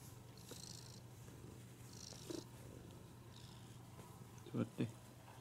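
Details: A cat that comes over to be petted whenever it gets the chance gives a continuous low purr, with a few soft rustles, two short thumps near the end and a faint steady hum behind it.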